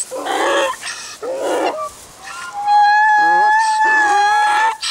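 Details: Miniature donkey foal Hyrskyn-Myrskyn learning to use its voice, with adult miniature donkey Daisy in the background showing the way: two harsh, noisy rasping bursts, then a long, steady, high squealing tone with rough breathy pulses beneath.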